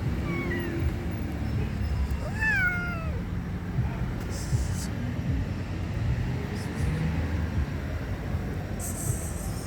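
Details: Kittens meowing: thin, high, wavering meows that bend downward, clustered early on, over a steady low rumble with some background noise.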